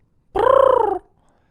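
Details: Willow the Pembroke Welsh Corgi howling while eating, heard played back; a single short, nasal, wavering tone lasting about two thirds of a second, held level with a slight fall at the end.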